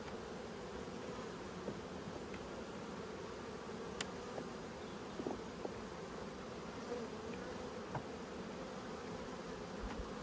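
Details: Cranky honey bees swirling as a frame is pulled from the top box during a hive inspection, March 2022; continuous thick low hum with faint occasional ticks, no voices.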